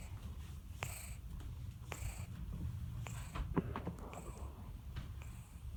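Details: Sleeping cat Tin Tin snores in a small room, each breath a short hissing puff recurring about once a second above a continuous deep, muffled rumble.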